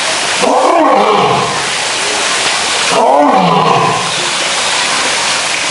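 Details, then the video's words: Male lion roaring in a zoo as part of its daily routine: two deep, rough roars about two and a half seconds apart, each a falling low groan under a broad noisy burst, over a constant rushing, water-like background. "Lions Roaring Compilation"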